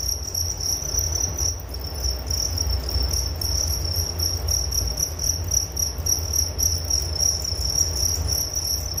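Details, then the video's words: Crickets call in a constant shrill trill with rapid, slightly uneven pulsing, brief brighter swells, a thin higher ringing band, and a steady low rumble throughout. "Relaksasi Suara Jangkrik Penghantar tidur || Nature Sound of Crickets"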